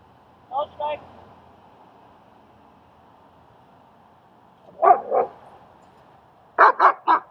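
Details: Dog barking during a training and socialising session in Queens, New York, where German Shepherd Strike helps train a shy dog named Leonidas; short double barks come at intervals, with a final burst of three louder barks and some speech early on.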